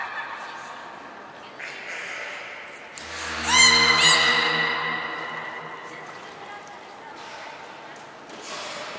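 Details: Beluga squeals recorded at Port of Nagoya Public Aquarium on 14 March 2021 during pool transfer and training of Hodoi, Taanya and Mirai. A brief cluster of stacked, pulsed harmonic calls comes mid-clip, with voices and room noise around it.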